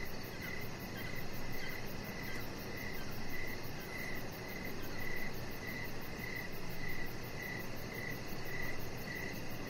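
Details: Crickets chirping outside on a deck in the evening, with decoration lights on and a chihuahua puppy named Rocket lying nearby; a steady train of short, high chirps pulses about twice a second over a low, constant background hum.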